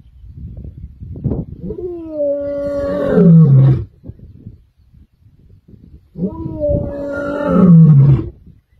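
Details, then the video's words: Kambula male lions roaring on 14 December 2023: two long, deep moaning roars, each swelling in strength and then falling into a heavy rumbling growl, separated by a few seconds of low background rumble. "Kambula Male Lions more Roaring"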